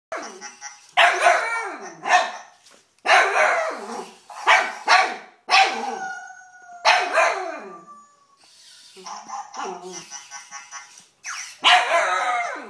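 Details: Young cocker spaniel, three and a half months old, meeting a robot dog: loud, harsh barks and yelps in bursts about every second, each sliding downward, with a gap holding a steady, gently falling tone.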